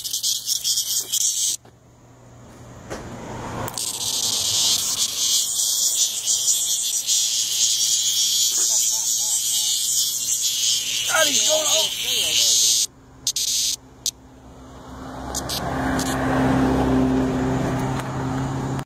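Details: A noisy swamp cicada on the ground gives a continuous, loud, high sizzling buzz with slight rhythmic pulsing, over faint clicks and a low hum; the buzz drops out briefly, then returns.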